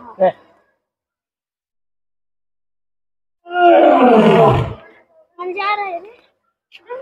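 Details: An Asiatic lion at Birsa Zoological Park, Ranchi, pacing along the wall then standing, gives a loud, rough roar lasting about a second, one of two roars, with crowd voices close by.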